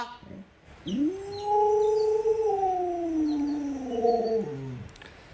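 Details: Pet Alaskan Malamute Luoluo asking for watermelon with affectionate pestering; a long, smooth, talking howl rises quickly, holds, and slowly slides downward over about three and a half seconds before ending in a short low drop.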